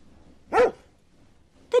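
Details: A house dog, said to like eating meat, barks once, full and harsh with a tonal ring, then after about a second a second very brief, clipped sound of similar tone closes the short stretch.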